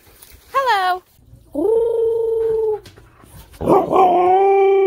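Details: Manson, a pet Siberian husky, talking back indoors: a short wavering yelp, then a long, steady, drawn-out howl, and finally a rough, throaty outburst turning into another sustained howl, with a person speaking faintly.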